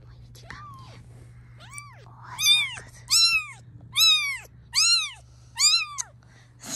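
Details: Insistent meowing from a domestic cat whose kittens are being filmed, with six or seven bright arched calls in quick succession, growing louder after a softer opening, and a woman's voice faint in the background.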